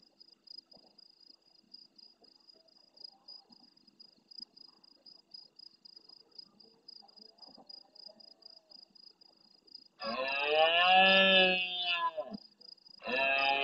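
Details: Near the camera in the Doñana marshes of Andalucía, Spain, a big red deer stag roars at the start of night in reply to farther stags: a quiet stretch, then a loud, rasping roar and the start of another, with rhythmic insect chirping behind.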